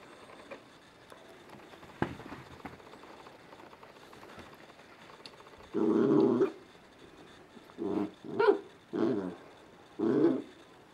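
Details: Two Scottie puppies playing in a living room at 5 am on a Sunday, still dark outside; after quiet room hum, a long low rough growl erupts, followed by four shorter snarling growls in quick succession.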